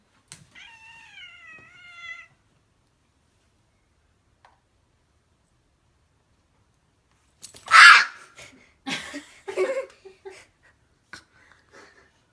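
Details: Pet cat meowing angrily, demanding its Zaku model back from a boy playing with Gunpla, in summer at home; one drawn-out wavering meow, then after a pause clatter, handling noises and a child's voice.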